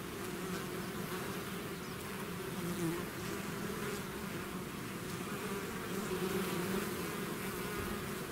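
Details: Bees swarming out of their hive: an unbroken, thick droning hum from countless wings, level and steady throughout, with brief closer bee passes rising above the mass.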